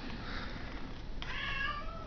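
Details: Domestic cat demanding to be fed: after a second of low indoor rumble, one short, fairly faint, tonal meow with a slightly falling pitch.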